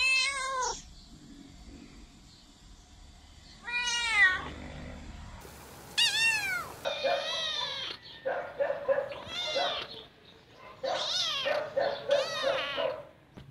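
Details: Domestic cat meows meant to attract other cats, a fast series of varied harmonic calls, some long and falling, others short and chirpy, clustered together with brief quiet gaps and a sharp cut in the middle.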